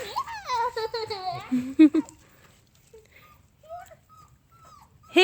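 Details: 4.5-week-old puppies on an outing to get used to new noises such as a car ride, tractor and saw: high wavering whines sliding up and down for two seconds, then quiet with a few soft chirps and a sudden yelp at the end.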